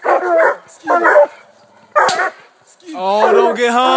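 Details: A pack of coonhounds, walkers, a blue tick and a black and tan, treeing a raccoon; three short choppy barks, a pause, then a long drawn bawling howl with clear ringing tones.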